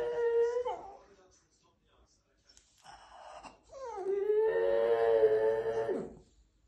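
A French Bulldog 'sings' in drawn-out, wavering howls instead of barking, in a small indoor room.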